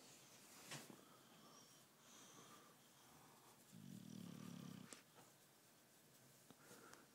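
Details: Tyson the British Bulldog, asleep indoors, lets out one low buzzing snore of about a second in the middle, among faint breaths and small clicks.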